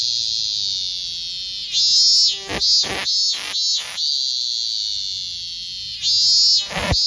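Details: Minminzemi (robust cicada) singing: a steady, shrill, high-pitched drone, then broken into a few rapid pulsed bursts before the drone returns and pulses again near the end.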